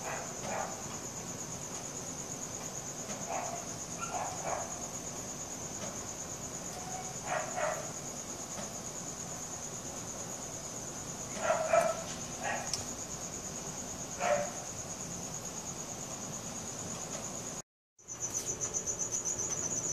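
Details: Night cricket, captured with a Samsung Galaxy S4, holds a continuous high-pitched trill throughout, while scattered lower knocks and short calls break in now and then, and a brief dropout interrupts near the end.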